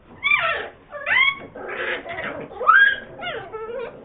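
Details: Bull Terrier puppies in Bogotá, July 2013, give high, wavering whimpers and yelps in short bursts.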